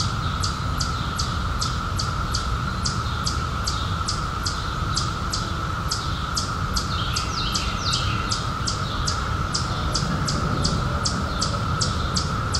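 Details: Cicadas emerged in 2021 after seventeen years underground, heard as a steady, unbroken high-pitched drone, overlaid by sharp ticking pulses repeating roughly twice a second, with a low rumble of background noise.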